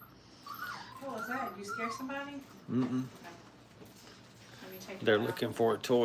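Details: Five-week-old Brittany puppies in crate training at a kennel give high, wavering whines that slide up and down, then a short burst of overlapping yelps and whimpers near the end, with background voices.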